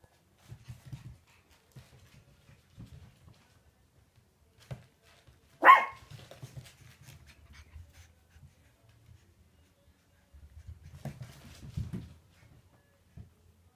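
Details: Four 8-week-old Shih Tzu puppies, left from a litter of seven, playing around indoors; one short, sharp bark rings out near the middle, surrounded by soft low thumps and scuffling of play.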